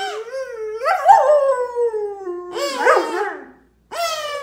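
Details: Excited German Shepherd dog whining at a kids' kazoo toy: a long drawn-out tone gliding slowly downward, then a wavering, cracking burst and a brief final cry after a silence.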